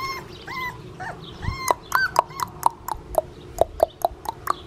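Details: Blue merle male Australian Shepherd puppy from a licensed Oklahoma breeder, Fifteen Acre Farms: a few drawn-out, bending whimpers, then a quick run of about a dozen short sharp yips, roughly four per second.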